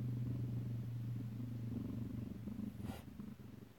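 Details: Alabama kittens recorded close-up at home on 2/7/18 purring: a strong, even low rumble pulsing about four times a second, with a short soft rustle near the end.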